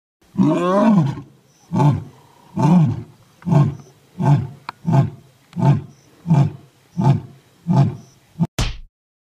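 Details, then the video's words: Angry lion, described as a baby white lion, roaring: a long opening roar followed by a series of short, deep grunting roars about every 0.7 seconds, ending with a sharp click. "Angry LION"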